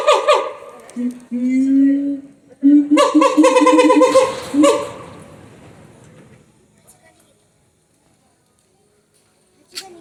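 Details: Siamang calling at Higashiyama Zoo: sustained low hoots build into a loud run of quick pulsed notes with a rising and falling sweep. Near silence follows, with a faint click at the end.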